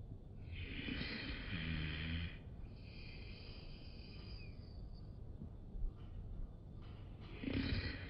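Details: Bulldog giving a snoring, snorting breath: a long raspy exhale, a second drawn-out wheeze, then another short snort near the end.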